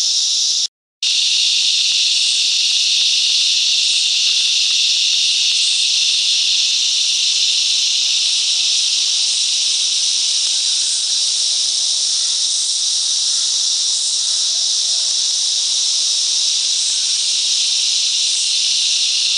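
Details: Cicadas in the bush mangroves of Coffs Harbour, NSW, Australia, sing together in a dense, unbroken, high-pitched buzzing drone that holds steady throughout.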